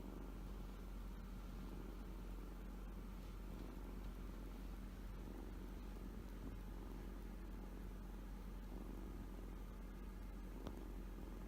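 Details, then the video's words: Kitten purring with happiness while sleeping and showing the pads of its left front paw, a pet at home: a steady, low continuous rumble throughout, with one brief faint click near the end. "子猫のゴロゴロは幸せの音 Kitten's rumbling sounds of happiness"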